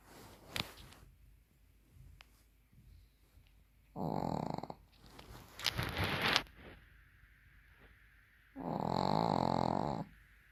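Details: Pekingese dog snoring indoors while asleep with its eyes open. Two long, rasping, buzzy snores, each about a second or more, are separated by a brief noisy rustle, with quiet breathing between them.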